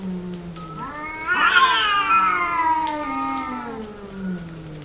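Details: Female cat in heat: one prolonged caterwauling meow that swells, rises to a strained peak, then slowly falls away, rich in harmonics.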